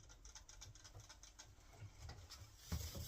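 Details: Phil, a pet guinea pig kept indoors, keeps up a rapid rattling chatter of crisp clicks for over two seconds while its owner tells it to calm down, ending in a loud knocking thump near the close.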